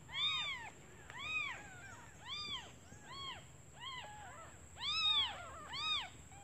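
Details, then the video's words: Just-born kittens mewing for their mother out of hunger while she hunts for food; clear arched squeaky cries about once a second, some doubled, over a thin steady whine. "Suara anak kucing memanggil ibunya"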